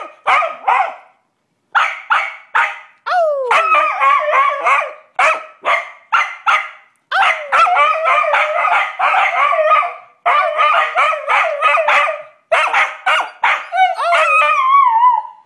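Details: Australian Cattle Dogs riled up by their owner howl and shriek in a dense chorus of rapid, high yelps and wavering howls, with short gaps between bursts and a sliding shrill howl near the end.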